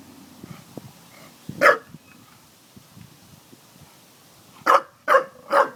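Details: Daisy the dog barks at water jugs. A single sharp bark breaks a quiet stretch, and three quick barks follow close together at the end.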